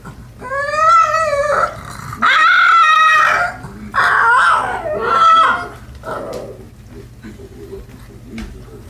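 A pug gives a series of drawn-out, wavering howls that rise and fall in pitch.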